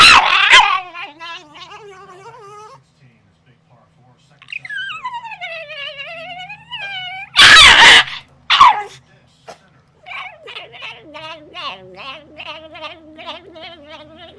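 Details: Indoor pet dog objecting to a tennis racquet: high harmonic whimpers and yips, a long arching howl that swoops down then up, then a quick pulsed series of wavering whines, broken by short loud bursts of noise.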